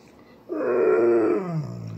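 An Alaskan Malamute lets out a hushed, sustained woo, a rich harmonic moan held for about a second before sliding lower. The vocalizing is a request for breakfast, in a quiet indoor room.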